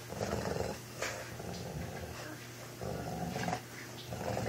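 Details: Indoor dog fight between a four-year-old American bulldog and a two-month-old Boston terrier puppy: low, rough, rumbling growls in bursts, separated by short gaps with sharper noisy snarls in a small room.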